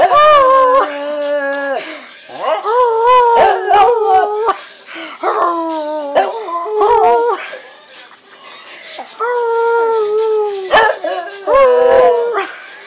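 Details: A pet dog howling in a drawn-out series of tonal, mournful notes, each held one to two seconds, some sliding up or wavering. Short breaks and small whimpers fall between the howls, with quieter gaps near the middle.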